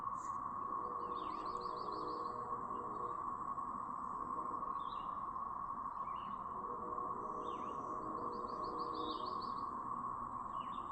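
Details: Siren chorus of a cicada brood recorded in Chapin, South Carolina, May 7, 2024; an unbroken mid-pitched drone runs under repeated bird trills and downslurred chirps coming every few seconds.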